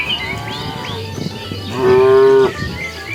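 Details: A cow walking along a road looking for food lets out one short, steady, loud moo lasting about half a second, preceded by quieter grumbling and faint bird chirps.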